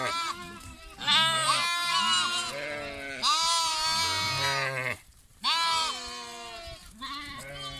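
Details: Several lambs calling over one another: long, trembling bleats in bursts about every two seconds, broken by one clear silent gap.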